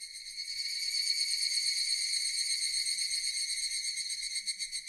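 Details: Loud, unbroken shrilling of Japanese cicadas, a bright rasping hum with fast rhythmic pulsations and no other clear sounds.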